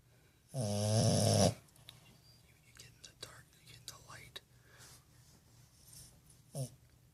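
A French bulldog puppy snores with a loud, rattling, low-pitched snort followed by softer breathing.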